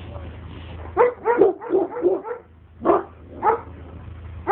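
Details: Alabai named Oktash sounding off at an outsider: a quick run of four or five husky barks, a pause, then three spaced, heavier barks over steady low background rumble.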